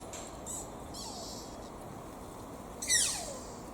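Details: Deer at Toyama Municipal Family Park, Japan, giving an unusual call likened to a toddler's squeaky shoes: one sharp, high squeal sliding steeply downward near the end, after faint earlier squeaks over a steady background hiss.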